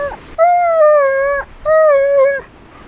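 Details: Alaskan Malamute named Tonka, impatient while made to sit still at the beach, gives two steady, sustained howls about a second each with a short break between, mid-pitched and even with a slight droop at the end.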